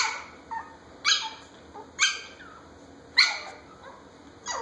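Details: A 10-week-old long-haired Chihuahua puppy playing with an older dog, giving short high yips and barks roughly once a second, sharp and bright, in a quiet room.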